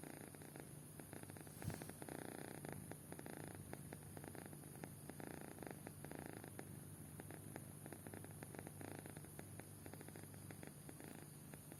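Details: Kitten fast asleep and snoring, a soft, continuous, low rumbling that pulses steadily through the whole stretch, very quiet beneath a constant high background hiss.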